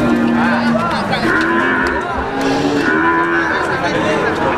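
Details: Brahman cattle at the Sumber Lawang cattle market in Indonesia: long, low, drawn-out moos with steady tones, heard over dense market noise and a busy background.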